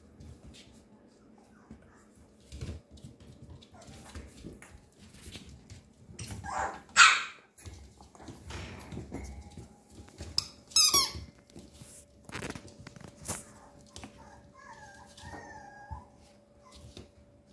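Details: A 13-day-old male Papillon puppy indoors: a couple of sharp, breathy bursts, then short, curling high squeaks near the end, set apart by quiet stretches with a faint steady hum.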